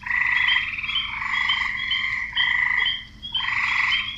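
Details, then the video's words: Chorus of frogs, males croaking to attract females; dense rasping pulsed calls run almost without pause, with brief sharper chirps on top and one short lull near the end. "Frogs croaking"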